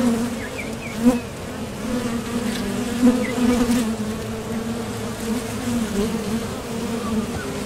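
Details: Wing buzz of honeybees coming and going at a top bar hive entrance while foraging for nectar; continuous droning hum with brief louder swells as individual bees fly past, plus faint high chirps.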